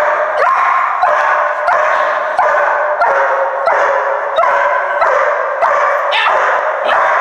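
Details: Young German Shepherd in an abandoned movie theatre, placed in a new environment for confidence training, giving a continuous series of loud, rough barks about once every 0.6 seconds.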